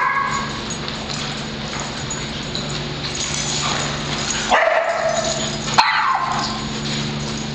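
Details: Group of dogs at a daycare club playing chase, Penny pursuing Patrick; irregular yips and barks about once a second over humming background noise, a sharper bark cluster near four and a half to six seconds.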